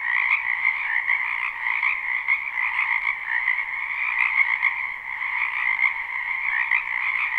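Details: Frogs croaking in a spring wetland behind a house, recorded live without looping: a dense, continuous chorus of many overlapping callers forming steady bands of trilling sound, with no other clear sounds.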